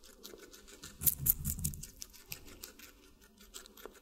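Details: Guinea pig munching watermelon in a small room: a brief flurry of loud crunchy bites, then sparse quieter chewing clicks and small scratchy sounds.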